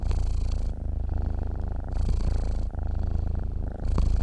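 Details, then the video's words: Sleeping domestic cat purring: a steady low rumbling purr that alternates between a deeper phase and a brighter, airier phase roughly every second, with no other sounds. "KUCING TIDUR MENDENGKUR"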